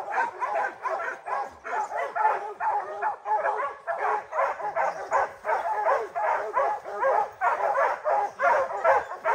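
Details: Bear hounds including Rocky during opening day of black bear training season, July 2024; rapid continuous barking from several dogs, roughly two or three barks per second, overlapping into a steady chorus.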